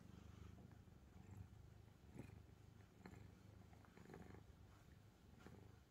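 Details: Angttu, a calico pet cat sprawled across stacked books, purrs in a continuous low drone with faint rhythmic pulsing, plus a few light rustling clicks from movement.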